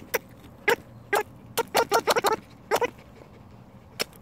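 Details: Rescued red fox in captivity playing with a new toy, giving a quick run of short, sharp, voiced yips, some bunched close together and others spaced apart, over a quiet background.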